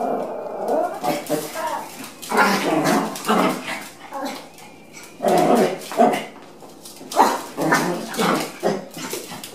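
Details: Dog daycare trial day for a Chihuahua with other dogs around: spaced bouts of shrill barking and yipping, a few seconds apart, mixed with human voices talking in the room.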